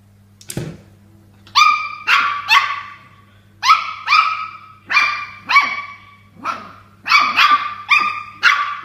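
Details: Toy Poodle attacking a water bottle, barking in anger; a brief thump, then rapid high yaps in pairs and triplets, around fourteen barks over nine seconds, shrill and harmonic, with a low electrical hum throughout.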